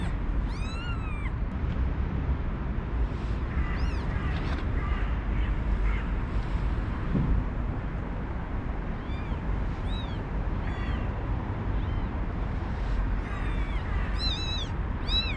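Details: High, wavering mews from five one-day-old newborn kittens beside their mother, rescued from an unprotected cage before a snowstorm; thin rising-and-falling cries come in scattered clusters throughout, over constant wind-like hiss.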